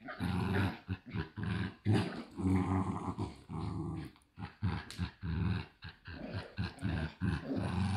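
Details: A pair of Shiba Inu puppies at a breeder in the Netherlands keep up a low buzzing growl, broken into uneven bursts, with some scuffling noise between.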